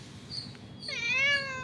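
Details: Cat coming for its daily milk, late and absent the day before, lets out one short meow after a quiet moment, rising briefly and then falling away over about half a second.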